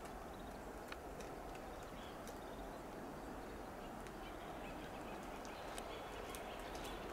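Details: Western gray squirrel on a coast live oak in Del Monte Forest, California, giving loud alarm calls: faint, rapid staccato clucks and clicks repeated irregularly, several a second, over a steady hissing background.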